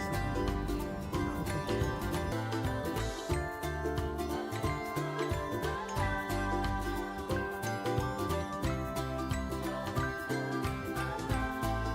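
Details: Bright, busy music with jingling bells and a steady beat plays throughout, with no animal voices.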